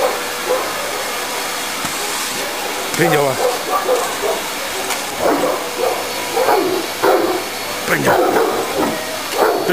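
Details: Eleven-month-old Tosa named Kimu, weighing 60 kg, plays with a vacuum cleaner, giving gruff, clipped barks that grow denser in the second half, a few whiny notes among them, under constant motor hiss and occasional human speech.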